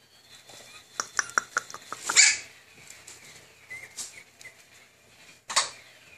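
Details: Pocket-size Pomeranian dog indoors; a run of light tapping clicks leads into one sharp, loud, high yap, followed by quieter rustling and a second short bark near the end.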